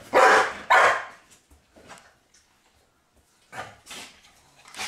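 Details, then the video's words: Pit bull waking its owner with barks: two loud, harsh barks about half a second apart open the clip, followed by a quiet pause, then two or three softer barks toward the end. "pitbull alarmclock"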